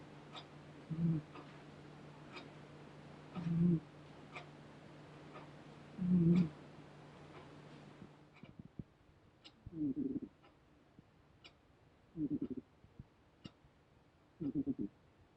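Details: Seventeen-year-old female cat sleeping and snoring, the owner wondering if old age causes it: soft low rasping snores about every two and a half seconds, each under a second, with a faint steady hum in the first half.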